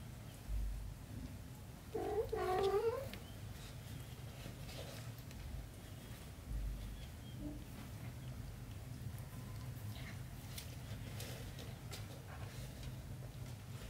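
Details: Mother cat with her kitten gives one drawn-out, wavering meow early on, rising then falling in pitch, followed by a soft murmur; a steady low hum fills the rest.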